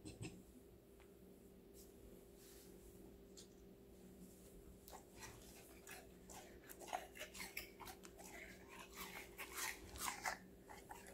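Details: Connie, a five-month-old female Golden Retriever, eats assorted vegetables indoors; after a quiet start, crisp crunches and bites build into a quick, irregular run of chewing, with a faint steady hum underneath.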